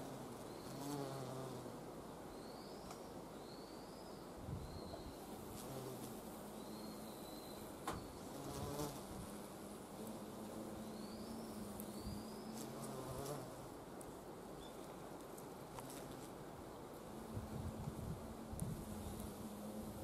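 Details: Carpenter bees gathering nectar from blooming wisteria in spring. Soft, low wingbeat hums fade in and out throughout, while small birds give short rising chirps in the background.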